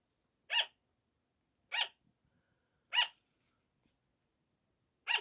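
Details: Sugar glider barking at night, a 5 am wake-up call: four separate sharp, bright yaps spaced a little over a second apart, with faint soft rustling between them.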